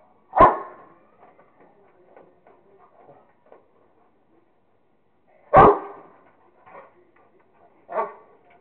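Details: Rottweiler Kingston at play with a squirrel, barking: one loud deep bark, soft huffs and grunts, a second loud bark about five seconds later, then a shorter, quieter bark.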